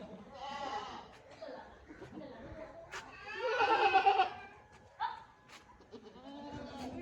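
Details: Sirohi goats, both bucks and does, at a goat farm; one loud, quavering bleat near the middle stands out above steady human talk, with softer shorter calls before and after.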